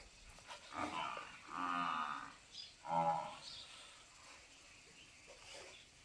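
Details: Cow at Goswami Dairy Farm in Dhanera, offered for sale, gives two drawn-out, harmonic moos, the first swelling for about a second, the second shorter and sharper, then quiet farmyard background with faint distant noises.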